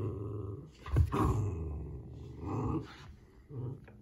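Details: Playful Pomsky puppy chewing a rag wash cloth indoors, growling in fun; low, rumbling growls in short pulses, a louder throaty burst near one second, then further guttural growl phrases separated by brief pauses.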